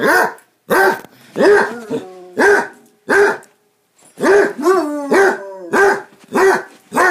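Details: Playing Basset Hounds bark in repeated deep arched bursts about once per second, mixed with drawn-out bays and a long falling howl-like tone between barks.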